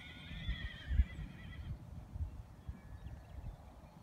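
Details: Wild horses of the Challis herd, Idaho, rescued after a 2012 helicopter roundup, roaming a preserve; a high wavering whinny in the first second and a half over low rumbling hoofbeats and ground noise.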